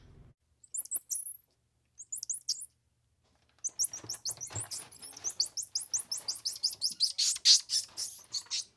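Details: Squirrel monkey calls: a few scattered high descending chirps, then a dense, quickening chatter of rapid squeaky notes packed close together, about four per second.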